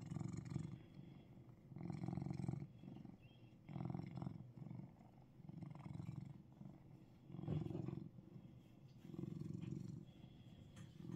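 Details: A Russian Blue cat in Seoul, Korea, purrs in a deep, steady rumble that swells with each breath.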